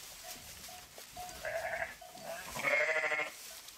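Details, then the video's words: Short, faint bleats from sheep rise above a background of small repeated ringing tones like bells, ending in a louder quavering bleat of about half a second. "Pure Sheep Voice"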